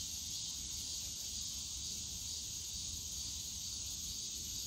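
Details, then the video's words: Cicadas chorusing on a summer day in the bamboo forest of Yongsan Family Park: a dense, steady, high-pitched hiss-like drone with no breaks, over a low rumble of park noise. "용산가족공원 대나무숲 매미소리"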